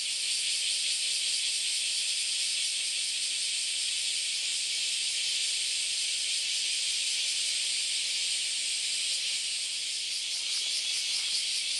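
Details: Cicada chorus from a crowded Sunday morning in August along the Philosophy Path, Kyoto, Japan: a continuous shrill hiss with a faint fast shimmer and no pauses.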